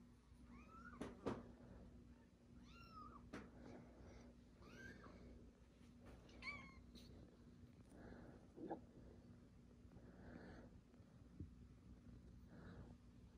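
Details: Newborn kittens meowing indoors beside their older siblings and mother: thin, high, wavering mews with rising-then-falling pitch, several in quick succession near the start, then softer scattered cries over a steady low hum.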